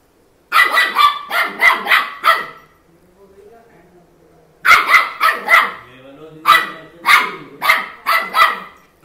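A small Maltese puppy yaps in quick, high-pitched bursts of sharp barks.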